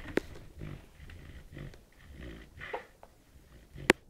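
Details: A sleeping puppy snoring indoors at night, soft breathy snores repeating roughly every half second, with two sharp clicks near the start and end.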